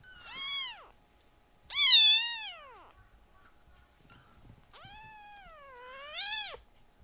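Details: Tiny rescued foster kittens being loud indoors: three strong meows, a short arched one, a loud high wailing one sliding down, then a long dipping cry that rises again at its end, in an otherwise quiet room.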